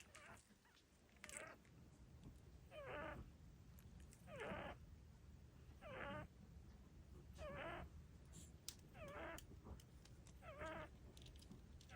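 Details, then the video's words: Chihuahua puppy asleep, snoring in soft, squeaky, raspy bursts repeated about every one and a half seconds, with a low steady background hum. "Snoring baby"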